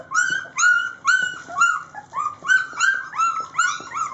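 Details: Three-week-old Rhodesian Ridgeback puppies at feeding time give high, tonal squealing whines, about eight rising-then-falling cries in quick succession, each with clear bright overtones, with faint low rumbles beneath.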